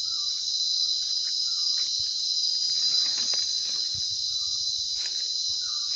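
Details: Insects in Sri Lanka's Sinharaja rainforest: a steady, high, unbroken shrill drone fills the air, while short faint chirps repeat softly underneath.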